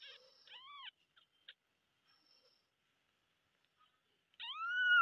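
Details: Kittens meowing loudly: a few short arched mewing calls at the start, a long gap of near silence, then one louder drawn-out meow at the end.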